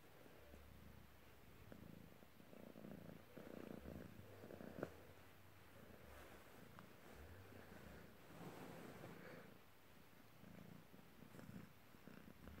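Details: A Maine Coon cat, a polydactyl male, purrs steadily in a low rumbling drone rising and falling with each breath, possibly while kneading ("massage"), which he loves to do.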